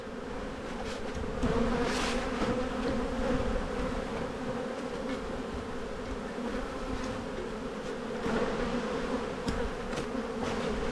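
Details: Honey bees in a bee yard during a spring buildup hive inspection, 7-9-22: a dense, steady low hum of many wings, holding evenly for about eleven seconds with a few faint clicks of hive handling.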